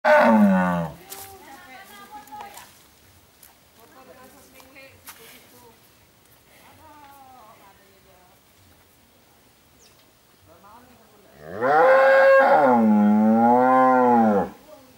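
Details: Cattle, said to be bull and cow, lowing: a loud, wavering, richly harmonic moo opens, followed by quieter talking and faint calls, then a second drawn-out moo lasting about three seconds near the end.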